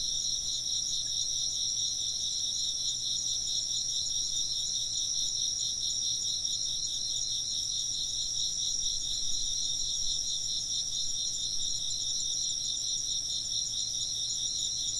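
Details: Insects chirp together in an unbroken high trilling wall of sound, with fast wavering pulses in two shrill bands and a faint low hum underneath.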